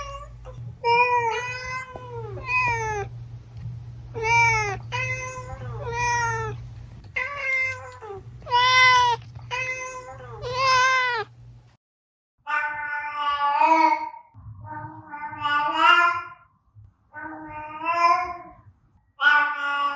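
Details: Domestic cat meows used to attract cats: a run of about nine clear, harmonic-rich meows over twelve seconds with a low steady hum beneath, then a short silence and several more meows, some rising and falling in pitch.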